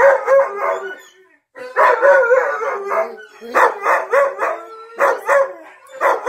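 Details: Husky Onyx joins in with Tonka the Malamute videos after almost a year of not howling, giving loud, quavering woo-woo bursts in clusters separated by short pauses.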